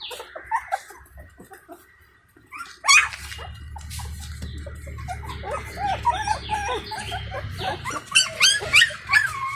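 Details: Indian Pariah Dog puppies at feeding time with their free-roaming stray mother; one puppy cries for her attention. Thin high whimpers and squeaks come in irregular bursts, growing denser after a loud thump near the three-second mark, over low rumbling background noise.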